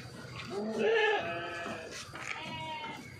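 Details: Sheep bleating on a modern Indonesian sheep farm in Boyolali, Central Java, where nipple drinkers are used for watering; a wavering nasal bleat near one second, then a second fainter bleat, with background barn noise.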